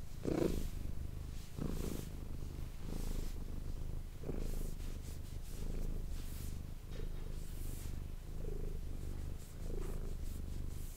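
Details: Manis, a domestic cat, purring close to an ASMR microphone: a low, steady rumble pulsing in breath-length cycles, with a few brief soft clicks and rustles near the start and around the middle.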